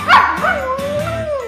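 A Siberian Husky gives a short, wavering howl that dips and rises, with a person talking nearby.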